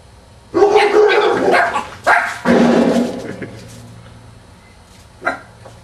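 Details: Two-month-old American Staffordshire Terrier puppy getting a surprise greeting from the neighbours next door; loud harmonic barking or yelping in two long bursts, followed by a short sharp yip near the end.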